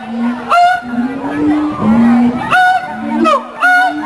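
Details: Captive mated siamang pair at the Columbus Zoo in a territorial duet: long low booming tones broken by sharp high whoops about once a second.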